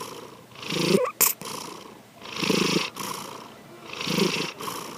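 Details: Sleeping house cat Sankichi snores in slow throaty rasps, three breath cycles, interrupted early by a sharp short click-like noise.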